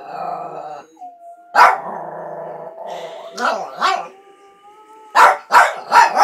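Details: Dog attempting to howl: a thin, sustained, slightly rising tone held for about a second, with later harsh barking bursts, four of them closely spaced near the end, and some rough voiced sounds between.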